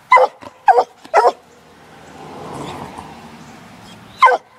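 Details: Six-month-old Black and Tan Coonhound on a laid coon trail, three quick barks followed by a stretch of rustling noise, then one more bark at the end.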